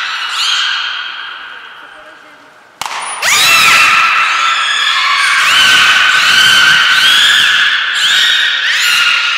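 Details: Belugas at Port of Nagoya Public Aquarium during a training session with all animals taking part, 16 March 2024: a sustained harmonic whistle fades, then after a sharp click loud overlapping tonal whistles with rising and falling sweeps.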